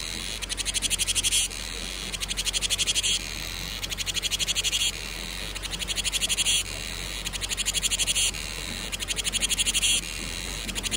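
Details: Cicada song greeting summer: piercing high buzzy bursts of rapid pulses, each lasting over a second and returning about every one and a half seconds in a steady rhythm, with a quiet low hum behind.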